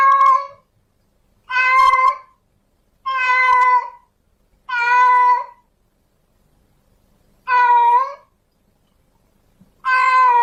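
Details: Female domestic cat in heat calling for a male to mate: six drawn-out, harmonic-rich meows, each lasting under a second, repeated every one and a half to two and a half seconds in a quiet indoor setting.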